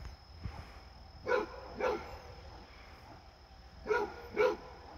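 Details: Deep, rough barks from Fred, a Basset Hound playing with a visiting deer, come in two pairs about two seconds apart.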